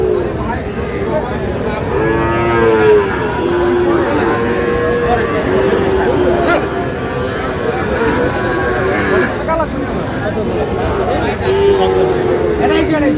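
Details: Sahiwal bull calves at a Munshiganj cattle market, 11 August '26, during buying by a farmer. A run of short wavering moos comes around the middle, then another near the end, over constant market voices.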